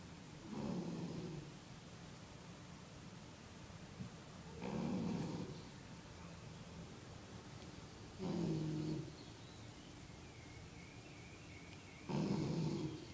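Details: Napping dog snoring indoors: four slow, low rumbling snores roughly every four seconds, each a rough drawn-out breath with a faint buzzy tone, separated by quiet pauses with soft room hiss.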